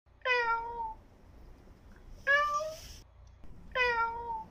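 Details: Hungry newborn kitten meowing indoors: three loud, falling, harmonic meows, each under a second long and spaced about 1.5 seconds apart, over a quiet room background.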